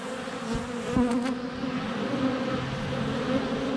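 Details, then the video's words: Swarm of honey bees flying around a hive entrance on a sunny February day, captured up close by a GoPro Hero 7 Black; continuous deep humming with a brief louder whoosh as a bee passes or lands near the camera. "4K Honey Bees - ambient video and audio"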